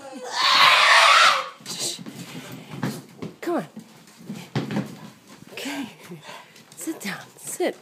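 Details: A Boston Terrier greets its owner returning after a weekend away, audible from down the hall, with a loud, harsh, rasping scream, followed by people talking and hushing him.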